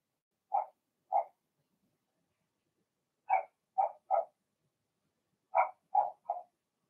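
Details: Blenheim Cavalier King Charles Spaniel puppies from Remy's first litter of six, in their indoor puppy pen, giving short high yipping barks in three loose bursts of two or three, with silence between.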